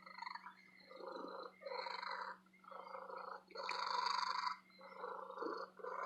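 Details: Happy female cat at an antique store giving a long, loud purr; grainy rumbling phrases alternate with brief pauses, one harsher, airier burst in the middle, and a low electrical-like hum throughout.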